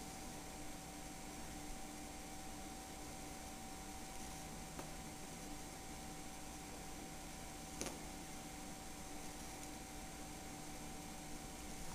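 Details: Constant fan-like hiss with steady electrical tones and a couple of soft clicks, without any animal sound.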